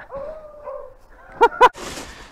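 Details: Beagle on a rabbit hunt in upstate New York, February 2023: a long, steady, wavering howl lasting nearly a second, followed by two sharp, loud bursts close together and a brief noisy rustle.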